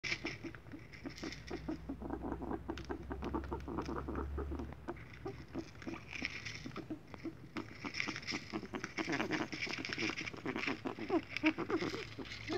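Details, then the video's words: A guinea pig makes a rapid, crackling patter of clicks with each breath; later diagnosed by a vet as an upper respiratory infection, which cleared with medication. "Sonido extraño cobaya - Ruido por infección respiratoria"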